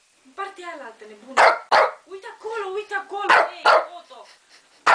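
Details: A Shih Tzu watching a wildlife programme on TV barks at lions on screen, giving sharp, high barks in pairs over a male narrator's voice from the television.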